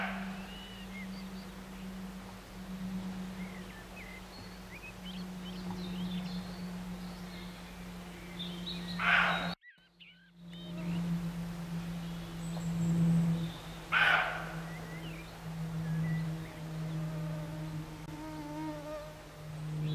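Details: Near Morpeth in Northumberland, August 2012, a roe deer gives two short, rough barks about five seconds apart, over a continuous low droning hum, faint bird chirps and a brief dropout in the sound.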